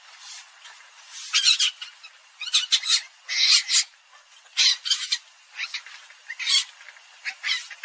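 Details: Palm civet calling: harsh, raspy squawks in short bursts of about half a second, coming in irregular clusters every second or so, with quiet gaps between and no other clear sounds.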